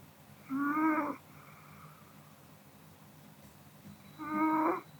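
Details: ['Sleeping Pomeranian Kodama, drowsy after dinner, gives two nasal, harmonic snores roughly three and a half seconds apart, each with a soft trailing exhale.']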